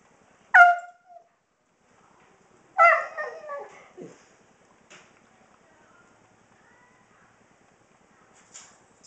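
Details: Kobi, a 16-year-old senior Husky, doing his nightly little show right before dinner: two sharp, bright yips with harmonics, the second trailing into a wavering whine, then a few faint soft sounds in a quiet room.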